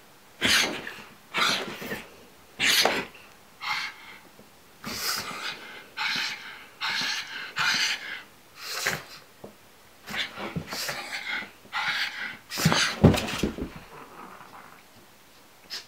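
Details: A pug frightened by a pillow gives a run of short, breathy snorts and sneezy huffs, repeated roughly every second in bursts, with wheezing breaths between them indoors.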